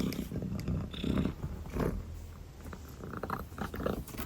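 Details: Sleepy calico kitten purring and yawning, giving a low rumbling purr broken by short breathy surges and small rustles.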